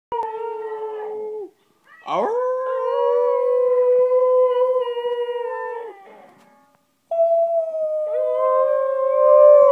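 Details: West Highland White Terrier howling: long sustained tonal notes near steady pitch with bright harmonics, a brief rising yelp-like onset, breaks of silence between drawn-out phrases, the final howl climbing slightly.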